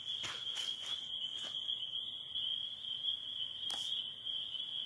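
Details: At dusk in spring in northern Michigan, near the end of their season, spring peepers blend into a steady, high, ringing chorus without a break, with a few sharp crackles, likely from a campfire, popping over it.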